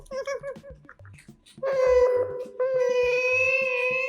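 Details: Otter at mealtime indoors, recorded with a microphone: a few short chirps, then a long, steady, high whining squeal with a brief break, held for over two seconds, over faint music.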